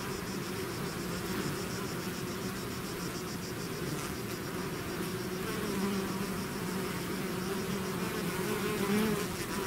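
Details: Bee swarm pouring out of its hive, a dense, steady buzzing hum from many insects layered together, with a faint fluttering high whine throughout and no other sounds.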